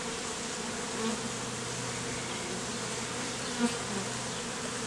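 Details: Honey bees clustered as a bee beard on a man's face in the heat, the same bees earlier hived out of a statue; a steady, even droning hum with a low fundamental and layered overtones, no voices.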